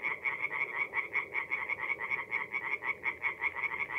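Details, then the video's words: Tree frogs singing by night in a North-East Italian forest pond in mid-April; one nearby caller gives clear rhythmic bursts of quick croaks roughly every fifth of a second, with a softer chorus behind. "relaxing forest pond by night with singing tree frogs"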